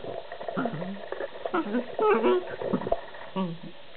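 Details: A collie-husky cross dog, in his afternoon "funny five minutes", grumbles and growls in short, voiced bursts that rise and fall like talking.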